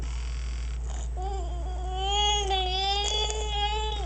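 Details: Freshly bathed dog TJ produces an odd, gurgle-like vocalization: a long, drawn-out, harmonic whine that wobbles slightly in pitch and swells in the middle, over a constant low background hum.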